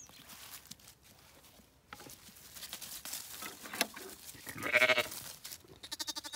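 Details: Zwartbles sheep on a County Kilkenny farm in Ireland, as escaped lambs are returned to their annoyed ewe: rustling and handling noises, then one loud wavering bleat near the end, followed by a shorter faint call.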